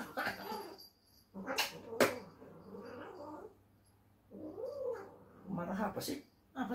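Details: Domestic cat in a bad mood after being teased as it tried to sleep, letting out low wavering growls and moaning yowls in several bursts, with a sharp tap and some human speech mixed in.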